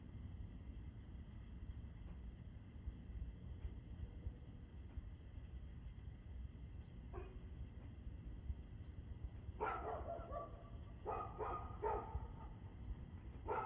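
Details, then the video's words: A dog, recorded 2/6/2024 at 6:02 pm, is quiet at first under a constant low hum. A single bark comes near the seventh second, then a burst of several loud barks in the last four seconds. "Barking Dog"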